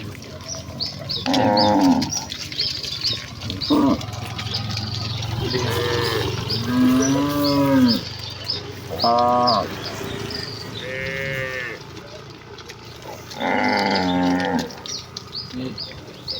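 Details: A herd of village cattle running happily toward their pen in the countryside, lowing in repeated harmonic moos, some short and some drawn out and sliding, spaced a few seconds apart, with bird chirps in the background.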